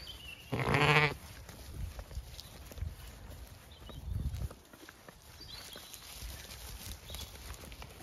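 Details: Zwartbles lamb on a regenerative farm in County Kilkenny, Ireland, following its mother as breakfast arrives: one loud, harmonic bleat of about half a second, then footsteps, faint shuffling and distant birdsong.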